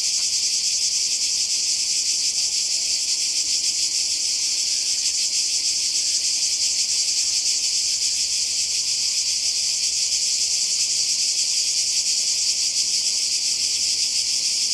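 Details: Cicadas by the sea in Croatia during a summer 2020 holiday: a dense, steady, high-pitched buzzing chorus with fine rapid pulsing runs unbroken throughout, with no other clear sounds.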